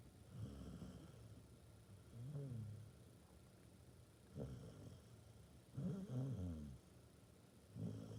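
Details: Basset Hound asleep, giving a series of low, gravelly snores roughly every one and a half to two seconds, each a short rattling inhale with softer breathing between.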